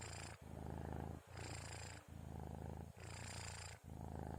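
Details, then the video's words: Sleeping kitten Orens, recorded about 2:30 before the sahur meal, gives three slow snoring breaths: deep vibrating rumble throughout, with a breathy hissing layer rising on alternate half-cycles and brief gaps between breaths. "Suara Kucing Ngorok"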